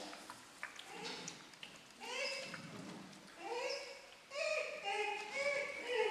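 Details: Four-week-old German Shorthaired Pointer puppies from Amy's litter, giving high, tonal whimpers and whines that rise and fall, coming in short bursts and overlapping more densely toward the end, with faint shuffling in the background.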